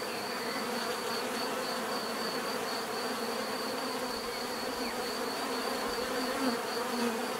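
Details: Bees buzzing in a dense, steady drone with layered low hums, a constant high whine above, and no pauses; faint brief chirps now and then.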